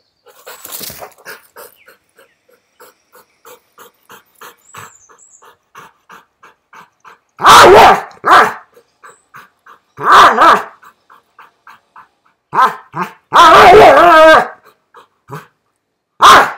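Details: In Sri Lanka, a Rottweiler facing a giant iguana gives loud, deep barks in irregular bursts between quieter whines.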